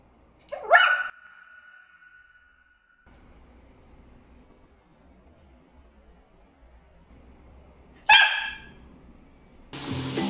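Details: Samoyed puppy indoors, barking at a Dyson vacuum cleaner it treats as an intruder: two sharp, harsh barks about seven seconds apart, the first trailing into a steady tone, followed by a burst of broad machine-like noise at the end.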